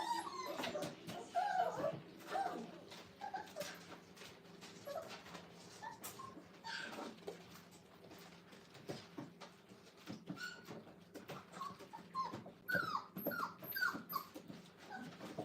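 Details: Five-week-old Brittany puppies in an indoor crate kennel, giving soft, brief high whines between scratching, shuffling and light clicking sounds; quiet room with no talking for most of the stretch.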